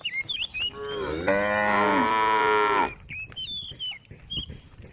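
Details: Female cows on a road calling to the herd: a single drawn-out, rich harmonic moo about two seconds long, with birds chirping before and after it.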